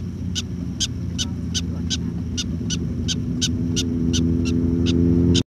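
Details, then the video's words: A prairie dog in Custer State Park on August 4, 2012 gives a rapid series of sharp, chirpy barks over a low engine hum. "Prairie Dog Barking in Custer State Park"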